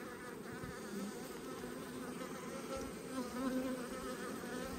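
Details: Autumn hive inspection among honey bee colonies: a soft, even drone of many bees hums on without pause, slightly swelling toward the end, with no other clear sounds.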